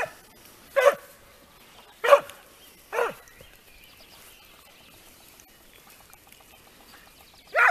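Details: Segugio Italiano trailing a hare in training: isolated loud bays spaced about a second apart, each a short ringing yelp with a dropping tail, then a long quiet gap and one more bay at the end.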